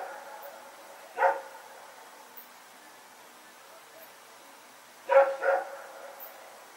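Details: Rex the dog and a companion dog running around at night, recorded September 21, 2018: a single sharp bark, then a quick double bark about four seconds later, against a quiet background.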